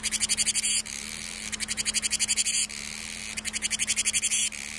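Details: A cicada sings in summer in harsh, high, rapidly pulsing buzzes, each burst lasting about a second.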